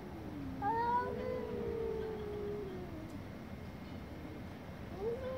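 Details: Domestic cat with an angry, drawn-out meow that wavers and slowly falls in pitch, fairly quiet against a steady background hiss.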